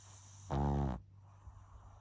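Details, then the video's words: Baby pug gives one short, throaty snore lasting about half a second, then quiet room tone. "白眼&いびき&チュッチュ まだまだ赤ちゃんなパグ"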